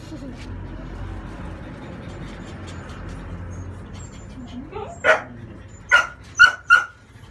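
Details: French Bulldog puppy, a female aged 30 days, being bathed to remove its crusty coat, gives four loud, piercing yelps in the last few seconds after a stretch of low murmuring voices and handling noise.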